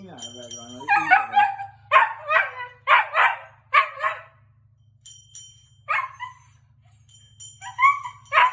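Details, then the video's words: A Siberian Husky, set off by a very loud bell, gives short, wavering howls and yowls about once a second, rising and falling in pitch. "Husky howling after hearing bell (very loud)"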